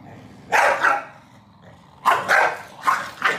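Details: Two corgis, a male and a female, quarrelling over who sleeps on the bed in Beijing on July 28; short harsh barks come in paired bursts, about six in all, with quiet gaps between.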